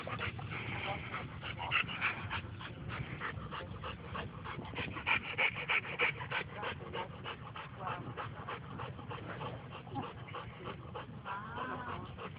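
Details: Bo and Glacier, two big dogs, after playing together at a dog park; quick rhythmic panting runs steadily through the clip at about three breaths a second, with a person's voice and faint laughter in the background.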